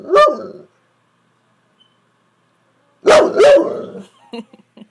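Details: Lily, a Saint Bernard, 'talking' to her owner as if trying to tell her something: a short moaning woof-like vocalisation, a pause of over two seconds, then a longer two-part groaning howl and a few soft grumbles.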